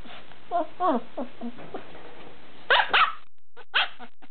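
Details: Bernese Mountain Dog puppy yelping: a run of short, wavering, high whines in the first two seconds, then two loud, sharp yelps and one more brief yelp near the end, with quiet gaps between.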